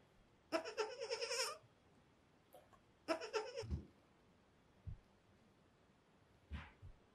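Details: Tiny goat kids, only five days old, react to a big bed with two drawn-out, quavering bleats about two seconds apart. Low bumps and a faint later squeak follow.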